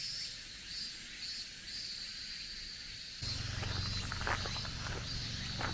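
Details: End-of-summer cicadas on a mountain forest road in Japan give a continuous high buzz with pulsing upper tones. Midway, low rumbling and crunching footsteps on gravel join in beneath the insects.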